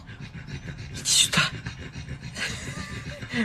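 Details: Pug named Dougie panting in quick breaths, about four a second, with bursts of louder breathy noise, while a person talks to him close by.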